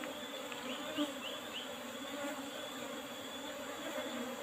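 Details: Asian honey bees (Apis cerana) buzzing during a honey harvest from an old-style hive box with a cover made of used asbestos sheeting; a steady, dense droning hum with bands of buzzing tone, constant throughout with no pauses.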